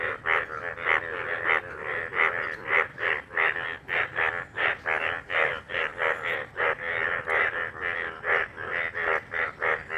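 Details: A loud chorus of Indian bullfrogs, described as yellow frogs, croaking in rapid, overlapping bursts in a dried pond refilled after heavy rain that day.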